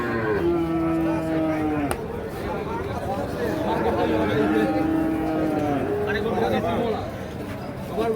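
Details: Sahiwal bull calves at Ambari cattle market, Parbatipur, Dinajpur, being sold on 1/10/25: two drawn-out, steady lowing moos, each about one and a half seconds, over busy market chatter and bargaining voices.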